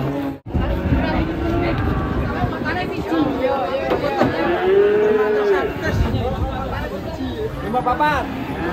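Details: Cattle from a collection of unusual cows, one of them one-eyed, giving a drawn-out harmonic moo that swells midway, over steady background music and faint voices.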